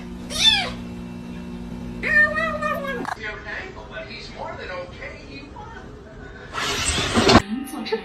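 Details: Domestic cat meowing amid a funny-cat compilation: a short rising-falling mew, then a longer wavering meow, mixed with people talking, faint music and a burst of rustling noise.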